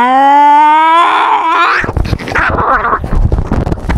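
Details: Domestic cat carrying a GoPro while fighting to assert dominance: a steady harmonic yowl that wavers and breaks after about a second and a half, giving way to loud scuffling and thumping noise.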